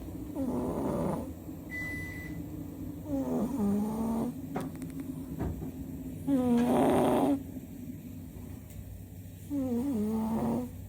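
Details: Kem, a domestic cat, asleep and snoring loudly: four harsh, rumbling breaths with a nasal buzz, each about a second long and spaced roughly three seconds apart. A faint steady electronic tone sounds briefly near the start.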